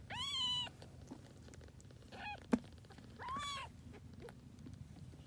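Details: High, clear meows from grey tabby kittens of a formerly homeless adopted mother cat: one strong mew at the start, a faint one midway, and a sharp click before a last arching meow.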